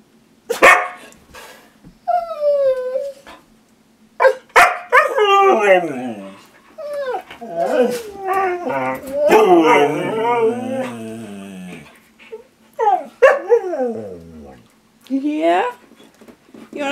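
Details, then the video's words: Siberian Huskies being teased with treats indoors: long wavering whines and yowling howls that slide up and down, some broken into yips, with short gaps between outbursts and a person's voice asking if they want a treat. "Teasing My Huskies with Treats"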